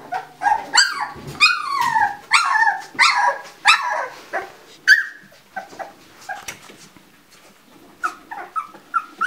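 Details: Yelping litter of two-week-old Labrador Retriever puppies, wakened as their mother returns: sharp descending cries come in quick succession, then fade into softer, scattered squeaks.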